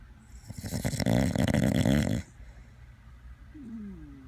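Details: A sleeping Dachshund gives one long, loud, rattling snore lasting about two seconds, followed by quiet breathing and a faint rising whine.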